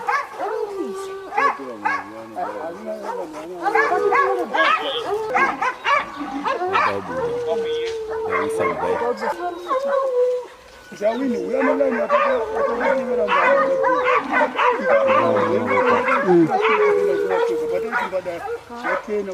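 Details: Pack of hunting hounds baying together during a leopard hunt in Zimbabwe, a dense continuous chorus of overlapping barks and drawn-out howling bays with barely a pause, one brief dip near the middle.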